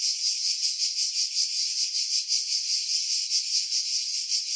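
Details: July 2018 chorus of cicadas in seaside pines at Pefkos Bay on Skiros, Greece, captured with a Sony RX3 and external microphone after wind filtering; an intense, high-pitched rasping drone swelling and fading in regular pulses roughly two to three times a second.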